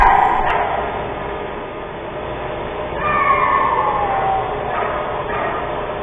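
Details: In December, a coyote gives thin, falling alarm howls over a steady background hiss. Its howls set off sled dogs across the road, and an exhibit wolf pack answers with low-throated calls.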